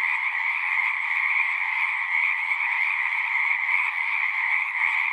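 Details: Pond frogs in a horse pasture, Zoom recording: a thick chorus of countless trilling callers merges into one constant buzzing drone, two stacked bright bands, level and uninterrupted from start to finish.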